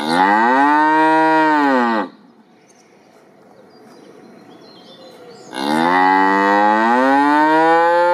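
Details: A cow gives two long, loud moos separated by a few seconds of quiet.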